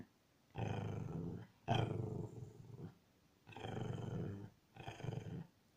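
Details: Pet dog Sacha, unwilling to share, protesting because she wants a toy that another dog, Otto, has: four drawn-out, low, voiced grumbling whines, each about a second long, separated by short pauses in a quiet indoor room.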